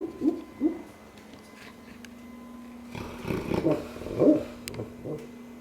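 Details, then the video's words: Cane Corso snoring and dreaming, making soft, muffled little woofs and whimpers in short irregular bursts, with two early puffs and a cluster near the end, over a steady low hum. "cane corso snoring/dreaming"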